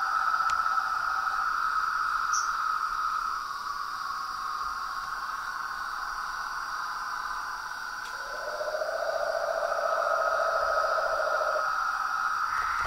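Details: Toads, frogs and tree frogs chorusing at nightfall at a pond in front of a house veranda. They were recorded for an hour. A dense, steady trilling layer carries throughout, with a lower buzzy trill joining partway, then fading, over a constant high whine.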